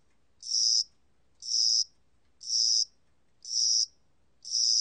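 A cricket sings high, shrill chirps, each under half a second, repeated about once a second.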